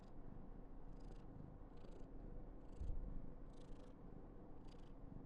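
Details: Continuous low purring from Karen, an affectionate female Somali cat born in November 2021, overlaid by short airy snuffling bursts about every second and a brief thump near the middle.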